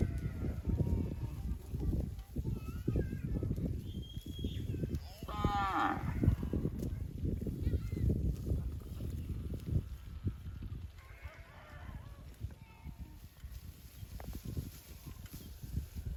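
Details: Cattle mooing, calves calling their mothers and mother cows answering; deep drawn-out lowing calls overlap almost continuously through the recording, with brief higher bleating cries from younger animals mid-way.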